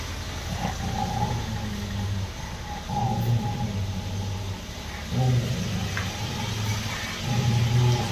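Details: Rottweiler named Roxy growling in anger as a ball is offered and a child approaches to take it back; low rumbling growls in bursts, rising and falling in several waves with pauses, faint hum in the background.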